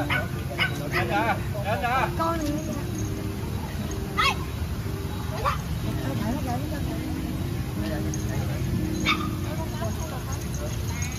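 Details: Dogs playing in a park: wavering whiny yips early on, then a few sharp, separate barks near the middle and toward the end, over a steady low rumble with people talking in the background.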